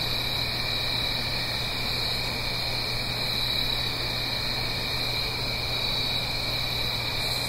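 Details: Night chorus of crickets in autumn, Blue Ridge Mountains, a stream below the hill: unbroken high-pitched shrill drone in stacked bands, faint repeated chirps drifting through, and a constant low rushing rumble underneath.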